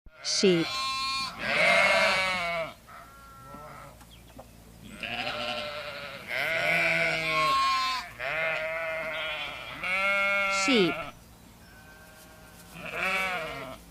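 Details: Several sheep bleat in turn: long, wavering, nasal baas, some rising then falling, in loud bursts about every one to two seconds, with short quiet gaps between.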